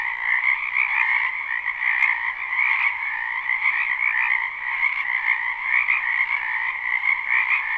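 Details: Many frogs croak together in a spring wetland at night-time sleep ambience, a live unlooped recording; continuous buzzy trilling in two stacked bands, pulsing unevenly, with a few faint clicks.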